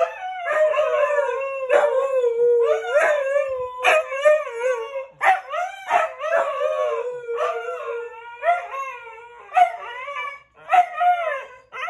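A Siberian husky howls in a wavering, yodel-like run of rising and falling notes.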